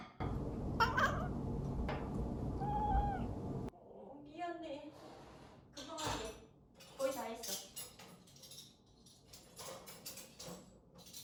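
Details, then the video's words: Indoor domestic cat meowing in complaint, nagging while dishes are put away after washing up because it dislikes the loud noise; short wavering meows over loud clattering of dishes for the first few seconds, then a woman speaking softly with a few quieter cries. "설거지 한다고 잔소리 터진 고양이"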